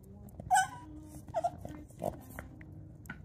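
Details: A female Boston Terrier whines in short, high, nasal bursts, begging for her brother's yak chew though she has her own.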